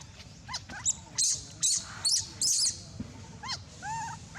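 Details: Abandoned young monkey crying very loudly: harsh, high, noisy shrieks in bursts about half a second long, mixed with short tonal squeals and a few rising whistled cries.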